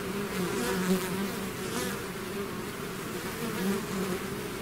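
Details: Swarming bees outside their hive hum steadily, a dense buzz with a few close insects briefly swelling louder and pitching slightly higher.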